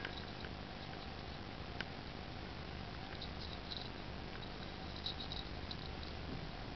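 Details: Two Scottish Fold cats of different sizes tease and play with each other; a steady, low, rumbling purr drones on throughout.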